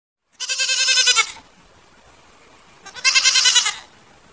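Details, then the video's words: Goats bleating: two loud, wavering, nasal bleats with a rapid quavering pulse, each lasting about a second, separated by a quiet pause of roughly one and a half seconds. "Goat Video with Sound"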